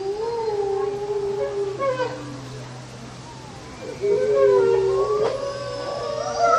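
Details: Wolf howling: long, steady, mid-pitched tones hold for about two seconds. After a quieter gap, a second, louder howl rises and wavers, with higher overlapping tones joining toward the end.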